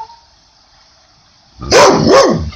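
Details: An English Pointer, who rarely barks, reacts to a played Sasquatch audio recording with two sharp, loud barks in quick succession after a quiet pause.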